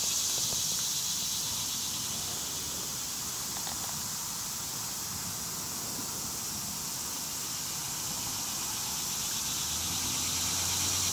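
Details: Dog-day cicada singing on 11 August 2015 in Coles County, Illinois, while a wild indigo duskywing skipper attempts to mate nearby; a steady, high, hissing drone runs unbroken through the whole recording over a faint low rumble.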